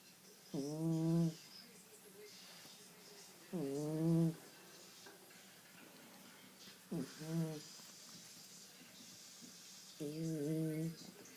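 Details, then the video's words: Sleeping male cat snoring, each breath a low, tonal, droning rasp lasting under a second, repeated roughly every three seconds, with quiet room hiss between snores. "Кот храпит!"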